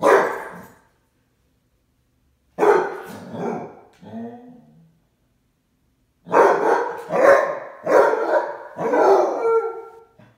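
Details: Upset after his owner left for errands, the Basset Hound Wentworth lets out loud, throaty baying barks in bursts: a single bark, a doubled one with a trailing whine, then a rapid run of four after a pause.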